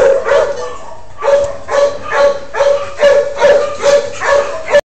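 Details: Male shelter dog performing a cute trick on command instead of barking like the other dogs: a string of short, tonal, whiny yelps, about nine in quick succession at roughly two per second, each with a steady pitch.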